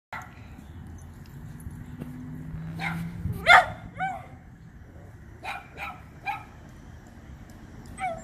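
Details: Sammy, an alpha-male dachshund at a dog park, upset at a squirrel up a tree: scattered short, high yelping barks and whiny yips, one louder burst near the middle, over a steady low background rumble.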